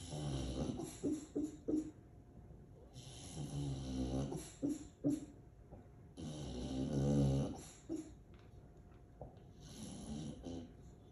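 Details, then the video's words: Sleeping female English Bulldog indoors in Aliso Viejo, California, USA, recorded December 18, 2022: heavy rumbling snoring breaths in long swells, broken by several short, muffled woofs, some clustered in quick pairs and triples. "Sleepy Barks From English Bulldog"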